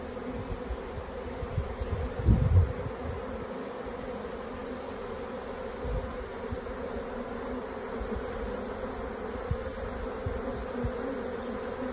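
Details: Honey bee swarm moving into a new hive, a dense low humming drone of many bees, steady throughout with scattered thumps and rustles.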